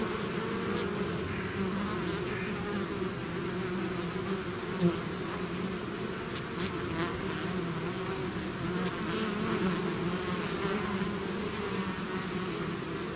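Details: Bees swarming outside their hive: a thick, unbroken droning buzz with low and mid hum bands, evenly loud, and a single brief tap near the middle.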